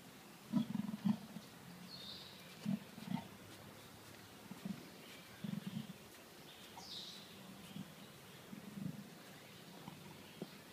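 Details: Leopard calling with a series of deep, rough, low grunts, some in close pairs, spaced irregularly across the stretch; faint higher rustles and hiss in the background.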